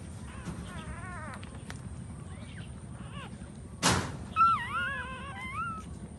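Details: Puppies nursing from their standing mother dog give a run of thin, high whimpers that waver and dip. One sharp knock breaks in midway before a longer, bending whine closes the clip.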